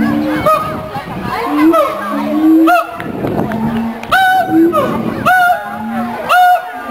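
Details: Zoo-kept siamang pair performing their territorial duet, which also strengthens the pair bond: short low hoots, then bursts of upward-sweeping whoops and harsh barks at about one-second intervals, with visitors talking and cheering behind.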